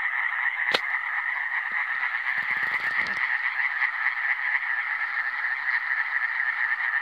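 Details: A chorus of Iberian tree frogs (Hyla molleri) gives a continuous, mid-pitched rasping drone of fast, overlapping croaks, broken early on by a brief click and a short rustle.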